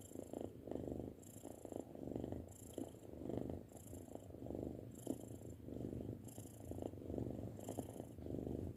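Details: Low, rolling purr from a six-month-old pet cat, pulsing in even waves roughly once per second as it breathes in and out.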